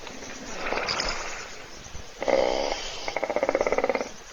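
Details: Hippo snoring while asleep in a puddle, filmed by a live webcam at a waterhole in a private reserve near Kruger National Park; a soft breathy rasp followed by two loud rattling, pulsing snores.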